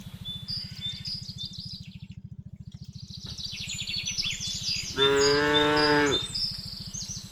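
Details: , Herded cows heading home to their pen from a remote village in late afternoon: chirping birds and a low steady pulsing hum, then a single strong, slightly falling moo of about one second calling the herd.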